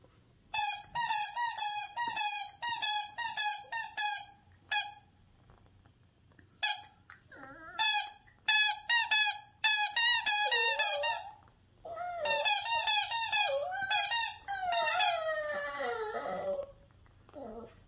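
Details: Young Maltichon dog indoors singing a song-like ditty along with its loudest squeaky toy: bursts of shrill, evenly repeated toy squeaks, then wavering, sliding whine-like vocal notes that fall in pitch near the end.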